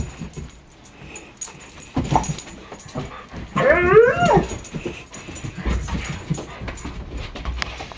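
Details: German Shepherd mix dog whining indoors while two other dogs chase a laser pointer; a brief, wavering, high whine with stacked overtones in mid-clip, surrounded by thumps, scuffles and paw noise from play.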